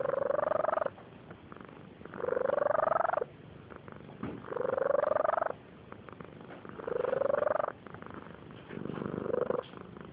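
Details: A sleeping barn cat snoring: five drawn-out breaths in about ten seconds, each a loud rasping snore carrying a rising whiny tone, separated by quieter breathing pauses.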